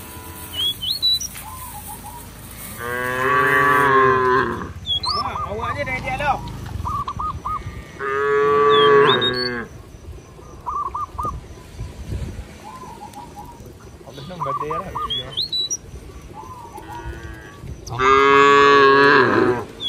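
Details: Cows roaming a village field give long, loud, harmonic moos, calling their companions to head home to the barn.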